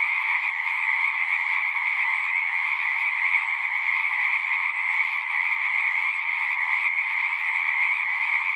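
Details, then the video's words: Chorus of many frogs at a pond in a horse pasture, captured with a Zoom 6 recorder: continuous high-pitched trills blending into one even, buzzing drone throughout, with nothing else audible. "Frogs singing"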